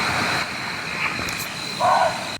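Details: At night in dense Southeast Asian jungle, a red muntjac (barking deer) lets out a single brief, rasping, human-like scream near the end, like a child's cry, over a constant high drone of night insects.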